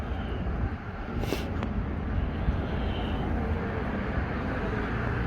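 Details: Outdoor urban rumble of traffic or a passing aircraft with a brief hiss and no animal sound.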